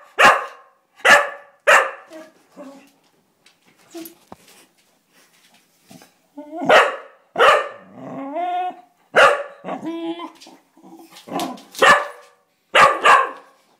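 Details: Ozzie the Cocker Spaniel, excited by a pinged door spring he wants to play with, gives repeated sharp barks about every second, broken by short rising and falling whimpers and cries.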